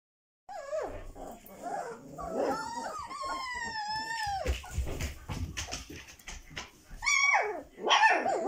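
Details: Dobermann puppy, 22 days old: high whining and squealing cries, some long and arching, others short and bending downward, coming in irregular bursts with brief pauses.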